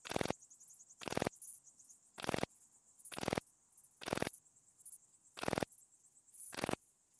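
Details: Song of Pachytrachis gracilis recorded at Vela Ucka, Croatia, 30 July 2023: high-pitched hissing chirp groups roughly every second, overlaid by strong rhythmic broadband clicks in step with the phrases.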